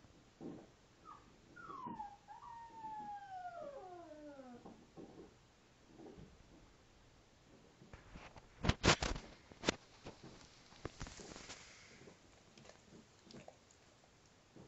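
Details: Alaskan Malamute pup, five weeks old, playing with her father: a high whine that slides downward over about three seconds, echoed by a second falling note, then loud bumps and scuffling from the romp.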